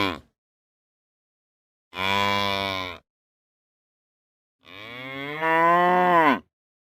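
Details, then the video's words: Mooing from real cows: a brief tail of one call, then a steady one-second moo, and later a longer moo that starts softer and grows louder before falling off, separated by silence. "Real Cow Sounds | Cows Mooing"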